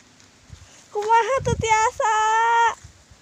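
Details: Sheep being herded in a rice field, grazed daily from midday to late afternoon: two nasal, wavering bleats, the first shaky and quavering, the second held steady and level for almost a second, with a brief rustle between them.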